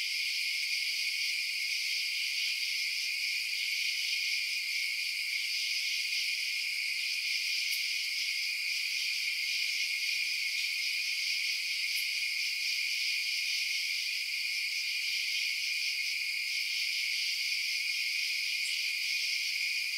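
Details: Crickets at night fill the air with a continuous high, shrill trilling chorus, even and unchanging, broken only by a few faint sharp ticks.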